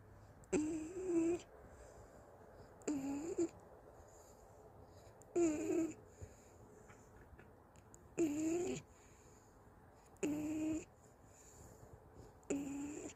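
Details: Golden Retriever Anggeum, tired after a walk, fast asleep in her owner's arms indoors at home, snoring: six raspy, breathy snores about every two and a half seconds, each under a second long, with quiet pauses between.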